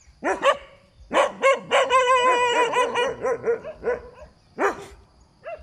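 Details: Roadside dog barking: quick sharp barks, then a drawn-out run of rapid yaps blending into a whining tone, then a few more separate barks.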